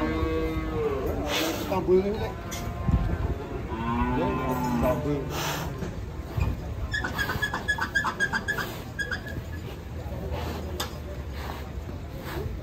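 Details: Fat cattle in Indonesia give two drawn-out moos early on, then voices and clattering sounds take over the rest of the stretch.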